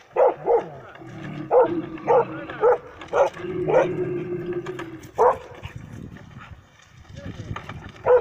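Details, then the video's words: Dog on a predator test in Kittilä, Finland, July 2019, confronting a mechanical bear: sharp barks repeated roughly twice a second in irregular bursts, with a low humming engine-like drone and faint human voices underneath. "Konekarhu Jokke petotesti karhutesti machinebear beartest beasttest karhu koira"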